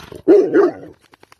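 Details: Rottweiler; bark; aggression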